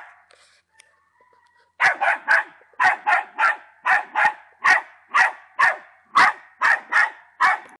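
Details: Patterdale Terrier named Attila Čelivský drákula, ten months old, barking in a steady run of sharp, loud barks at about two per second. The barks follow a short quiet opening with faint tones.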